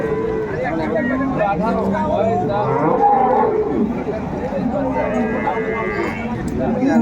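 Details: Pair of Indian Hariana bullocks at a Bangladesh cattle market, 21 April 2024; short low moos come through a busy mix of men talking and background music.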